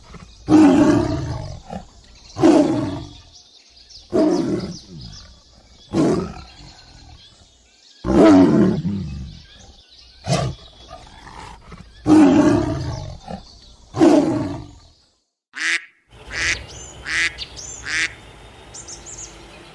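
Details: Tiger roaring for children learning animal names, a long series of about eight deep rasping roars, each roughly two seconds apart, followed by short high bird chirps at the end.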